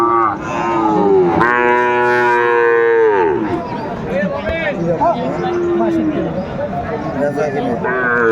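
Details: A long, steady, harmonically rich moo of about two seconds from Sahiwal cattle at a Comilla cattle market, Bangladesh, 12 February 2025, followed by shorter lowing mixed with crowd murmur.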